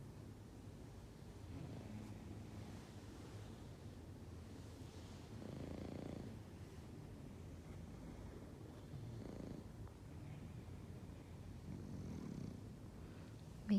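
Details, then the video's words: English bulldog asleep and snoring: soft, low, rasping breaths that swell about every three seconds over a quiet room background, with a click at the very end. "Why do English bulldogs snores a lot"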